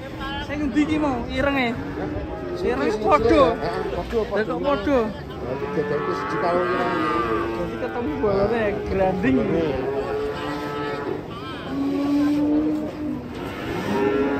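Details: Cattle being unloaded from a truck, several overlapping moos, some wavering and some drawn out, rising and falling in pitch, with people talking and shouting in the background.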